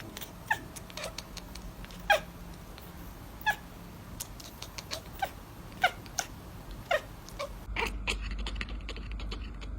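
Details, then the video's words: Cats making cute sounds: a dozen or so short, sharp, high chirping mews, spaced irregularly about every half-second to second over a faint steady hum, then an abrupt cut to a noisier stretch with a few more brief calls. "Cats Making Cute Sounds"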